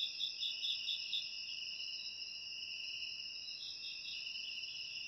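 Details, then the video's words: A dense chorus of crickets, presented as natural rat repellent ASMR: continuous shrill trilling, with a quick series of pulsed chirps in the first second and another softer run near the fourth. "Suara Jangkrik Untuk Mengusir Tikus"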